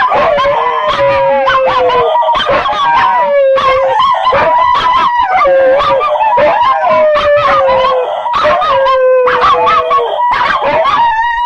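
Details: {'caption': 'A group of dogs howls continuously. Drawn-out wavering wails drift downward and overlap one another, punctuated by clipped yips and barks throughout.'}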